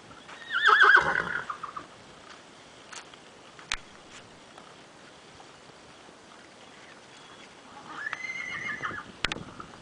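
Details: A three-year-old pedigree Percheron stallion neighing: a loud, shrill, quavering whinny at the start. A second, fainter drawn-out whinny comes near the end, with occasional knocks in between.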